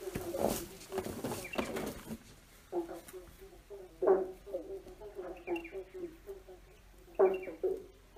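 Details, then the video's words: Frogs croaking under a bridge with an echo; rough pulsed croaks recur every second or so, louder bursts at intervals, over a noisy rumbling background at the start. "Frogs singing under a bridge free sound effects croaking frogs singing"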